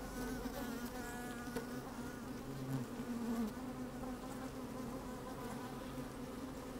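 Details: Busy honey bees in an opened hive, sunny day, recorded with the microphone down among them: continuous droning buzz with brief rising whines from individual bees over the steady hum.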